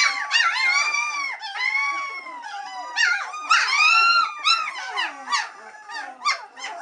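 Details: Several three-week-old White Swiss Shepherd puppies call for their mum Cova to return for a feed: swooping, curved squeals and howl-like whines, some rising then falling, others short yelps, overlapping at about three per second.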